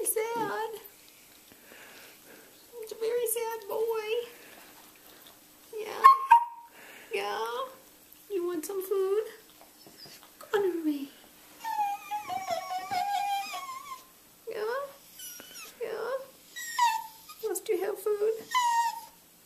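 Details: ConneryBeagle, a beagle, gives his cultivated yodel-woe while begging for food: a string of short wavering, yodelling moans that rise and fall, interleaved with a person's voice sympathetically asking if he wants food.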